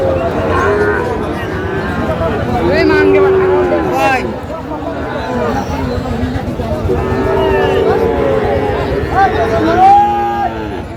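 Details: Sahiwal breed bull calves being sold at a busy cattle market in Kushtia, Bangladesh, 8 May 2025; a few long lowing moos, one ending in a rising tone, under dense chatter of buyers bargaining.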